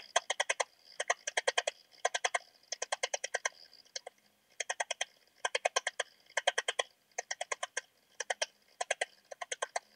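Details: Modicogryllus frontalis, the eastern cricket, recorded at Puntigam, Austria, on 10 June 2022: short bursts of rapid, evenly spaced chirping pulses, about eight to ten per burst, repeated roughly every second, with brief gaps between groups.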